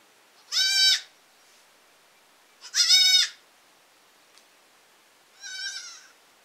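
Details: Baby goats bleating: three harmonic-rich, wavering bleats about half a second each, two loud ones near the start and a softer third after a pause, with a quiet background and a faint click between.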